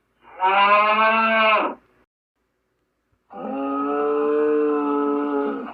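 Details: Two drawn-out bovine lows from a gaur, the first short and loud, the second a longer, even, hollow moo lasting over two seconds after a gap of silence; clean recording with nothing else audible.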